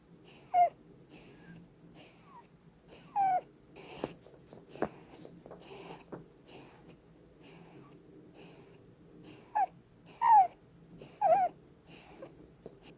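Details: Sleeping Holland Lop rabbit Blueberry, a female pet, snores while cuddled. Hissy, wheezy breaths come every second or so, and some carry thin falling whistles, with a low hum in the background.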